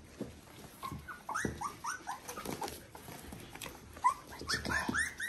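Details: Three-week-old Border Collie puppies from litter V2, bred from Ori and Cru, make high, squeaky whines. Each one rises and then falls, coming in quick, uneven bursts over soft rustling and low background rumble.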